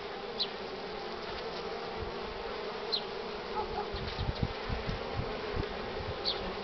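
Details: Western honey bees crowd at the hive entrance, heavily loaded with pollen, on a sunny but cool morning, 24 March 2019 at 9:45, filling the air with a steady, dense hum of many wings.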